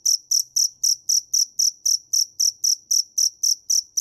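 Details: Rapid, evenly spaced shrill chirps of a cricket, known locally as dế mèn, at nearly four per second. Each chirp is loud and clean against quiet surroundings.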